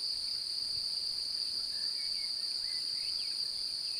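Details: Mate-seeking male cricket with an interested female nearby, singing by rubbing its forewings: a steady high-pitched trill with a faint overtone, accompanied by a few soft whistled bird notes.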